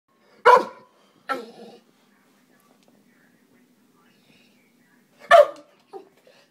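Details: American Bulldog reacting to a neighbourhood cat that is chasing a bird out of a holly bush, giving three loud, separate barks spaced over about five seconds with a short final woof, quiet between.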